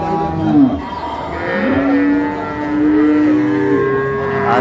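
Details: Dairy cows and calves of an improved breed at Ambari market in Dinajpur, Bangladesh, on 16/11/25. A sustained, level, droning moo lasts about two seconds mid-clip, with market voices and murmur behind.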